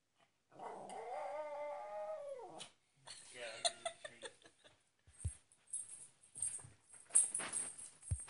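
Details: Pet dog, said to sound like a coyote, gives one drawn-out howl of about two seconds that falls away at the end. Speech, handling noise and clatter follow.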